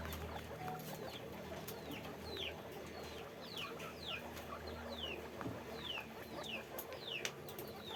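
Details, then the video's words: At a guinea pig farm, guinea pigs in a cage let out sharp, high squeaks that drop in pitch, spaced irregularly in short bursts, with a constant low hum and scattered clicks behind. "guinea pig sound, guinea pig noise"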